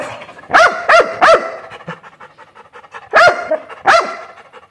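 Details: Barking from an angry Labrador Retriever: three quick barks, a stretch of soft panting-like breaths, then two more loud barks.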